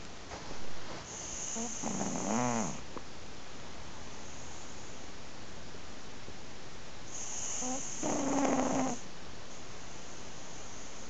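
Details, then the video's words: A sleeping cat snoring, recorded 7 January 2011: two slow, rasping breaths about six seconds apart, each a rough, harmonic-laced snore lasting about a second and a half, with steady low background hiss. "Snoring cat!"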